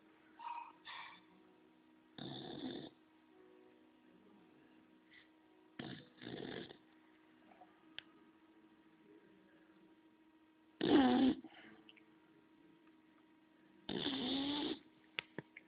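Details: Homer, a bulldog, snoring in rough, rasping bursts that come irregularly: a few short snorts early, longer raspy breaths near three and six seconds, then the loudest, harshest snores around eleven and fourteen seconds, over a faint steady hum.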